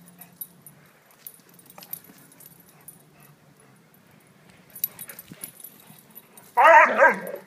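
A Great Dane puppy gives one sudden, loud, harmonic yelp after several quiet seconds.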